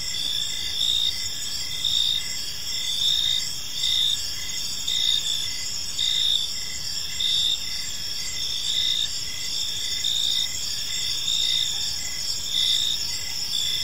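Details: Many crickets chirp through a serene park evening, a continuous high, tinkling trill broken into short regular bursts roughly once per second, with faint distant low noise beneath.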